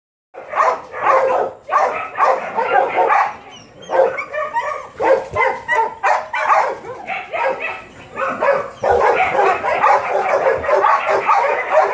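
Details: Litter of seven puppies giving rapid, overlapping yelps and whines in steady bursts, with short pauses between rounds of noisy, broad calling.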